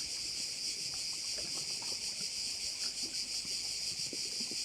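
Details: A continuous high-pitched insect drone from crickets on Korčula, Croatia, overlooking a bay. It shimmers in rapid regular pulses near three per second, with soft scattered ticks and rustles below.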